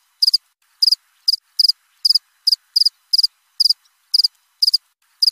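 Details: Close cricket chirps, each a quick three-pulse trill, high and piercing, coming roughly every half second against silence.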